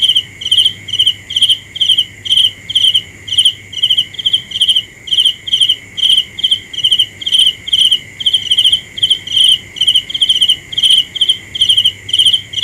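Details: A cricket calls at night in a regular rhythm of brief, high, rattling chirps roughly two each second, backed by a continuous faint whine of more insects.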